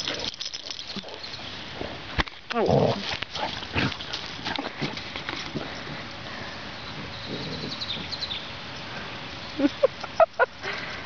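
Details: A one-year-old female Basset Hound, playing and running to liven up her older cousin Basset Hound, gives short, rough bursts of grunts and barky yelps amid scuffling and a few spoken words.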